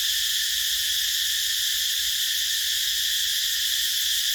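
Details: Cicadas calling in a rubber plantation: a steady, dense, high-pitched buzzing drone that never pauses, with a bright band in the upper register and only a faint low rumble beneath.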